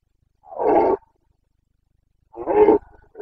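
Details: Carpathian red deer stag in the Bucovina mountains of Romania during the September rut, 29 September 2022: two loud, coarse harmonic roars, each about half a second, separated by a two-second pause, on a silent background.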